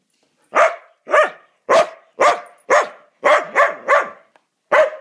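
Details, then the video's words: Mudi barking in a steady series of about nine sharp, loud barks roughly half a second apart, each bark harsh and broadband, with a short pause before the last one. "Mudis bark because......"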